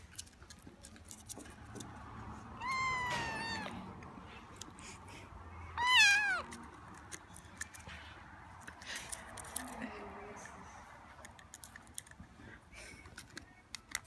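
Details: Squeaky, a tiny hungry kitten found in South Los Angeles and rescued into foster care, being bottle-fed. He gives two high, wavering meows about three seconds apart, the second louder, then falls quiet amid soft clicks and handling noise.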